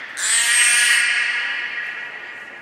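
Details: Captive beluga during training at Nagoya Port Aquarium, 1 November 2020, with Hodoi, Taanya and Mirai: one sustained, reedy squeal with bright harmonics that begins abruptly, holds steady and slowly fades over about two seconds.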